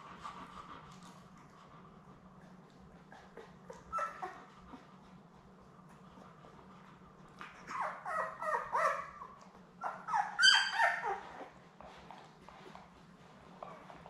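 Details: Newborn Labrador Retriever puppies, one of a litter of seven born May 24, 2021, with their mother Belle on a live puppy cam on June 4. A steady low hum, then bursts of high, squeaky whimpering cries in the second half.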